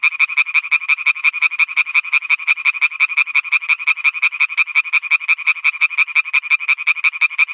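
An Oriental tree frog gives a rapid, steady series of harsh, rasping notes, several each second.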